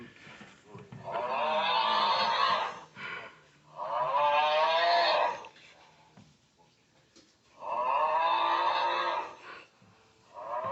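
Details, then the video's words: Dakoda, a male pet dog, makes a funny noise: drawn-out, wavering, moan-like howls, each lasting about one and a half to two seconds. The howls come in four bouts roughly every three seconds, with quiet room gaps between them. "Dakoda is making a funny noise"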